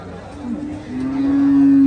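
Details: Large buffalo at the Hazratpur cattle market during the 2024 Qurbani Eid sale gives a steady, low, drawn-out moo that swells louder toward the end, with faint crowd murmur behind.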